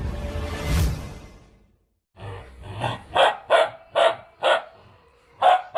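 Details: Two-month-old Bhotia (bhotey) puppy from Mustang barking: after a low, rough opening, six sharp, high-pitched yaps come in quick succession, roughly two per second, with a brief pause before the last one.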